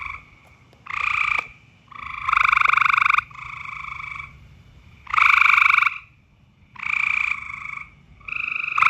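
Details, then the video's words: Loud frog calls during mating season: grating, buzzy croaks repeated in roughly one-second bursts, rising and falling as multiple callers alternate, with short lulls between outbursts. "More loud frog noises."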